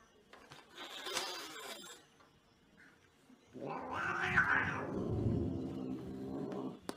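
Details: Angry cat giving a loud, rough, drawn-out yowl that swells and holds for about three seconds, preceded by a brief noisy burst and a short high mew.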